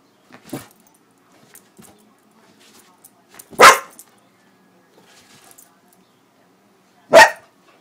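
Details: Lucy, a female Pitbull-Corgi mix, reacting to whipped cream, gives two sharp, loud barks spaced several seconds apart, with soft noises between.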